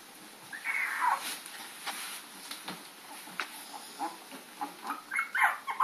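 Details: Puppies chasing Lady, recorded April 4, 2013: a couple of short, high, whiny yelps, one near the start and a cluster near the end, over a steady hiss and scattered clicks and knocks.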